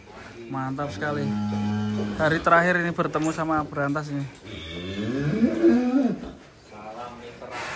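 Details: Giant cattle being unloaded from a truck in Indonesia, 2025: low, drawn-out moos with steady deep tones, then a rising and falling bellow, heard among men's voices and background music.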